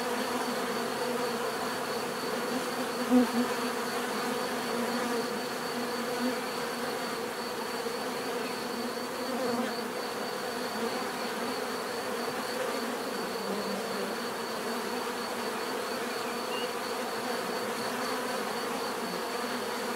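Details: Swarm of bees producing a soft, constant hum, a sustained buzzy drone with a faint high tone above it and one short click early on.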